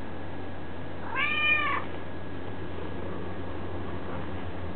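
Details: Domestic cat giving one drawn-out meow lasting about a second, arching up then down in pitch, over a steady low electrical hum in an otherwise quiet room.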